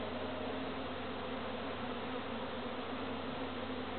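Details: Many honey bees that arrived as a visiting group, later rehomed by a beekeeper. They make a dense, steady, even hum with no pauses that fills the whole clip.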